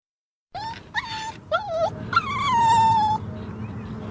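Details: Dog whining in a few short, rising-then-falling tonal cries, then one longer drawn-out whine that slowly slides downward over about a second, against a low background rumble.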